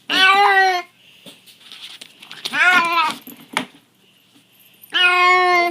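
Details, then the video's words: Domestic cat named Harley making a funny noise: three drawn-out, strongly tonal meows, the first and last steady and nasal, the middle one wavering and warbling, spaced about two seconds apart with quiet gaps between. "Funny cat noise"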